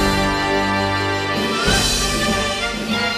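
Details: Only music plays, sustained instrumental tones with a brief swell midway and no animal voice.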